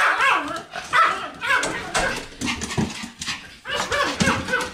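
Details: A Pomeranian 'lecturing' in a steady stream of grumbly barks and whines. The short, bending, moaning notes follow one another almost without pause, with a brief break near the end.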